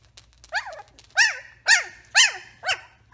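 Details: Samoyed puppies, three weeks old, give a run of five strong yelping whimpers, each a quick rise and fall in pitch, spaced roughly half a second apart, in a quiet room.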